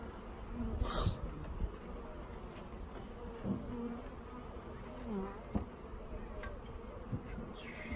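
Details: Package of honey bees, worker bees among them, being installed into a hive, with sugar syrup in use: a steady, low, droning buzz runs throughout, broken by a few short knocks and handling thumps.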